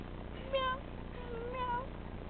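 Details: Tabby kitten at play: two short, soft meows about a second apart, the first rising then falling, the second a drawn-out falling mew, with quiet indoor background and a person talking just before and after.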